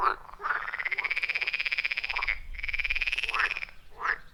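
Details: Frog calling at a wild forest pond amid a chorus; a long rapid pulsed trill lasting about two seconds, repeated after a short break, between shorter croaks from other frogs.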